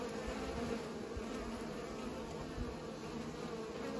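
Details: Steady, even humming of bees at work pollinating, a thick low drone with no pauses and a few faint soft bumps.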